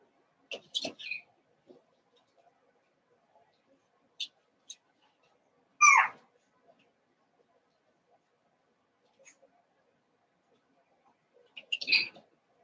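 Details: Seven-week-old Cavalier King Charles Spaniel puppies from Daisy's litter in an indoor puppy pen inside a home; short, high, squeaky whimpers come in scattered bursts, the strongest near the middle, with quiet gaps between.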